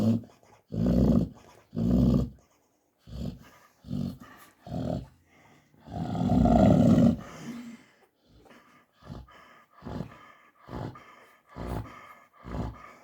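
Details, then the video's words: Sleeping American Staffordshire Terrier mother indoors, heavy rumbling snores at first, one long loud drawn-out snore in the middle, then shorter, softer and more irregular breathing sounds toward the end. "храп мамаши"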